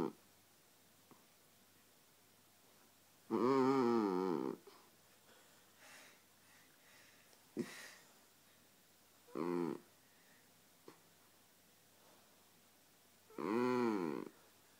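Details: Sleeping dog squeezed and making a funny bagpipe-like noise: drawn-out, harmonic wheezing drones about a second long, wavering in pitch, coming in bursts every few seconds with quiet breathing between, indoors in a small room.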